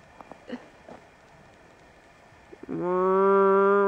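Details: A herded cow lows loudly after soft thuds and faint voices, its moo starting abruptly and holding a steady, strongly harmonic tone through the end.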